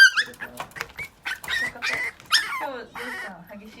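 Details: A white Mame Shiba puppy that rarely barks gives high, squeaky yips and wavering whines, begging for food when its owner comes home before mealtime.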